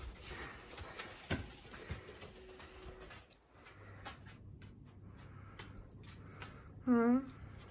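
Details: Wild fox inside a home, a person scolding it in English; near the end comes a single loud, whining squeal, falling slightly in pitch, after quiet rustling and handling noises.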